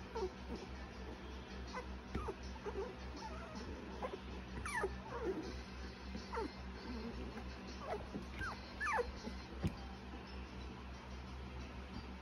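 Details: Soft high whimpering squeaks from cocker spaniel puppies, a dozen brief upward-sweeping cries scattered over several seconds, above a constant low background hum and faint room noise.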